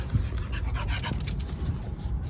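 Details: Buxom, a dog playing with a toy, panting in quick breathy bursts throughout, a steady soft huffing rhythm over low rumbling handling noise.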